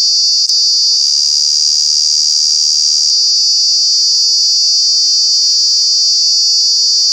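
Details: Loud cicada call from Kanha National Park during the summer months: an unbroken shrill, high buzzing whine that briefly wavers and thickens early on before settling into a flat, continuous drone.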